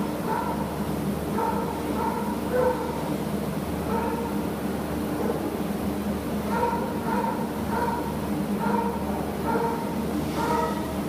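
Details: Spencer, an American Bulldog available for adoption, whimpers in a long run of brief, thin, tonal yips, repeated roughly every half second to second, over constant low room hum.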